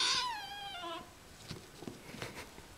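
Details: A kitten gives a single high, sharply falling meow lasting about a second, followed by quiet rustles and soft handling thumps indoors.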